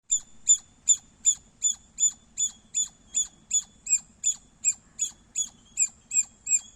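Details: Squirrel chirping loudly: sharp, high, squeaky chirps repeated steadily about two and a half times per second, around eighteen in a row with even spacing and no pause.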